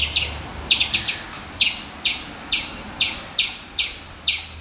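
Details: Squirrel. A squirrel calls with rough, raspy chuck notes, each a short rattling burst. They come over and over at a brisk, slightly uneven pace against a quiet background.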